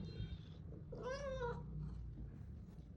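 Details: Indoor orange pet cat meows once, a half-second arched, slightly wavering call, while its owner searches a bag for food; low room hum underneath and soft speech around it.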